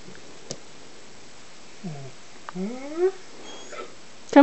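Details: An uneasy Greater Swiss Mountain Dog puppy, wary of another dog inviting it to play. Soft whimpers rise and fall in pitch, in a cluster of three or four short whines midway, with a clack and a person's soothing voice.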